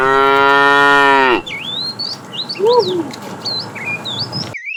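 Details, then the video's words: Tame cow from a herd starting its morning roaming in search of food: one long loud harmonic moo lasting about 1.4 seconds, then quieter background with chirping birds whistling high notes. "Funny cow sounds"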